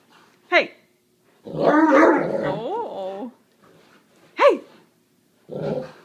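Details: Great Dane rolling on the carpet indoors, giving a long rumbling growl-moan with wavering harmonics over about two seconds, framed by short yelping whines; a person scolds it to knock it off.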